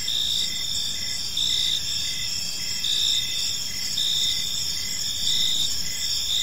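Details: Crickets singing in a park as evening falls: layered shrill trills hold steady while one chirp swells in short bursts roughly every one to two seconds; a low, faint rumble sits beneath.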